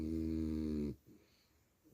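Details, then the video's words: French Bulldog snoring while asleep indoors: one loud, low, rattling snore lasting about a second, then quiet. "Buldogue Francês Roncando que só"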